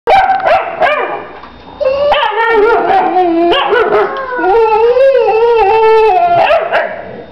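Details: Two dogs, a mother and her female puppy, 'talking' in drawn-out, wavering howl-like moans with sliding, bending pitch, overlapping each other, with a few short sharp yips near the start and end.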